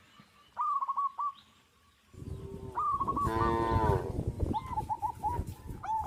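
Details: Tame, shepherded cattle on a traditional village farm moo in drawn-out, wavering calls over a steady background rumble.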